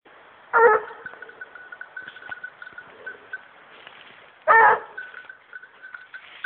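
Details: Young female hunting dog working on wild boar, barking outdoors: two loud, harsh barks about four seconds apart, with a steady high whistle-like tone and faint rustling between them.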